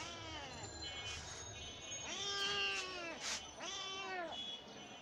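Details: Domestic cat giving drawn-out meows, three clear rising-then-falling calls around two, three and four seconds, with a softer meow near the start; faint background music and a little speech.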